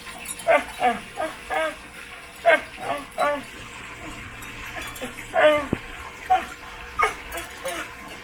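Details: Dog producing funny sounds as it scratches its back: clusters of short nasal yelps and groans with harmonic, wobbly tones, several quick in a row, then a pause and a few more.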